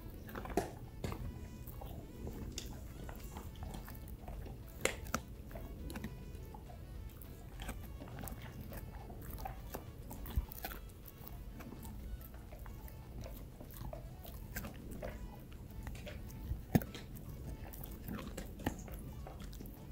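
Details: Dogs chewing rawhide chews indoors. A steady run of crunching and biting clicks, with sharper snaps near five and seventeen seconds, over quiet background music.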